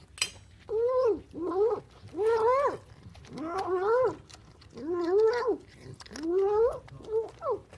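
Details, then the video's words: Hungry, excited domestic cat making loud noises while eating breakfast indoors: a run of drawn-out, wavering moaning yowls, each rising then falling, about one every second or so, with a brief clatter at the start. "Excited cat makes loud noises while eating"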